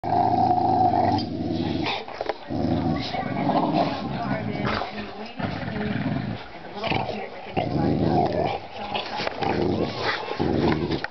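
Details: A pair of young dogs play-fighting, biting each other without real biting: deep, rough, continuous growls in long rumbling bursts separated by brief pauses, fierce-sounding like monsters, with a person's voice briefly at the start.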